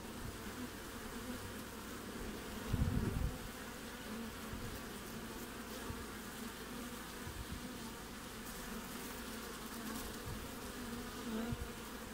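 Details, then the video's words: Bees in front of their hive during Australian winter, 20 June, produce an unbroken low buzzing hum; one short, louder low rumble stands out early on, then the drone continues steadily. "WINTER BEES front of the Hive Acivity"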